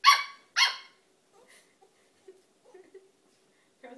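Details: King Charles Spaniel puppy playing with an adult Welsh Springer Spaniel: two loud, bright barks in quick succession open the moment, followed by near silence with faint scuffles and a soft low sound at the end.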